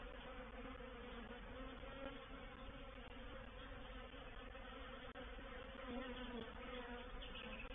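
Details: Honey bees of a reproductive swarm occupy a swarm trap at Painted Peacock Manor, 04/07/21, their massed wingbeats making a steady, throbbing hum with occasional louder whines of individual fliers and a single click midway.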